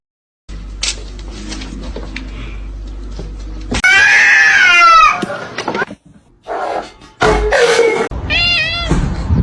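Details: Domestic cat meowing loudly indoors: a drawn-out wavering meow with layered harmonics, then short broken calls and a later rising-falling meow, amid laughter, talking and music.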